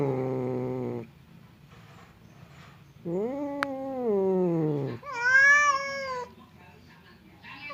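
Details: Domestic cats Temon and Lelo on opposite sides of a barrier, seemingly about to fight: a low growling moan, a quiet pause, a rising-falling wail, then a higher, harsher screech.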